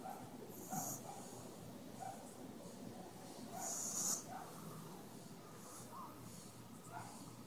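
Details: A napping French Bulldog snores and snorts in rough, breathy bursts over a low, steady rumble.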